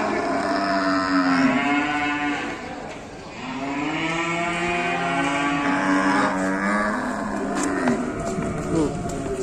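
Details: Raging cattle in Indonesia bellow in a series of long, rich moos, some rising and falling, one after another over about nine seconds, with people shouting nearby as the animals get loose.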